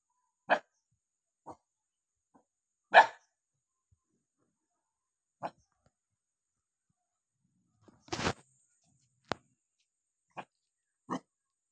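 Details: Angry dog barking in short, separate sharp barks spaced one to three seconds apart, with a burst of clattering noise near the end and otherwise silent pauses.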